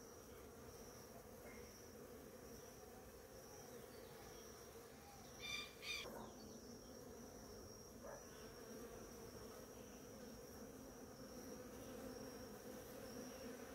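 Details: Many bees feeding on a flowering ora-pro-nobis plant give a steady, low droning hum of overlapping wingbeats with a few brief clicks and knocks midway and a faint high thin tone recurring above.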